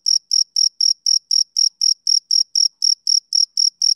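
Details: Rhythmic chirping from a male cricket on a summer evening, sixteen brief, bright, high-pitched pulses evenly spaced at roughly four per second, with no other sounds present.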